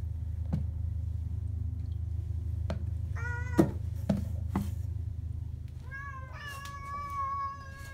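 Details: Tabby cats meowing as their meals are readied, one of two indoor cats; a short meow, then a longer rising-and-level meow near the end, with sharp kitchen clicks and taps and a constant low hum.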